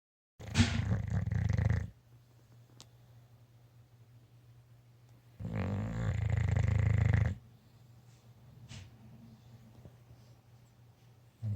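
An English Bulldog snores with loud, rasping, low rumbling breaths roughly every five seconds.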